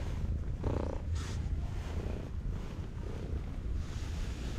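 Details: Stray cat at a breakwater purring happily while being stroked: a steady, low, pulsing rumble runs throughout, with a couple of brief rustling bursts near the start and wind noise in the background.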